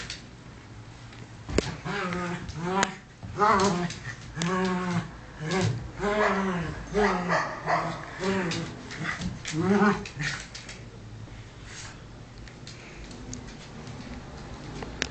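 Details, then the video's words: Play fight between two pet dogs, Bunny and small Cookie: a run of about eight arching, yelping growl-barks in quick succession, then quieter scuffling with a faint steady hum. "funny dog fight!"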